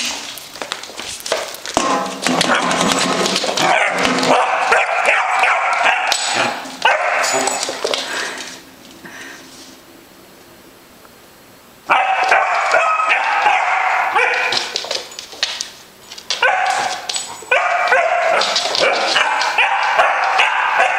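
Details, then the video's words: Basset Hound puppy named Rosceaux, bravely fighting a "monster", barks in rapid excited bursts with whimpering, broken by a quiet gap midway before the loud barking resumes. "Basset Hound Puppy Fights a Monster"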